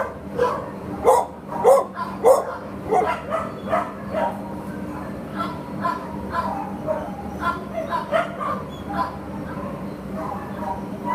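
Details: Shelter Labrador Retriever awaiting adoption gives a run of loud quick barks, then quieter, more scattered barks over a steady mechanical hum.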